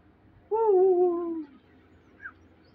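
A Shih Tzu puppy gives a single drawn-out, tonal whine that slowly falls in pitch.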